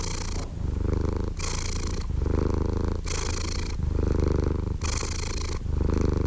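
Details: Close, low purring from a cat, alternating between a breathy inhale phase and a smoother rumbling exhale, roughly one cycle each second and a half.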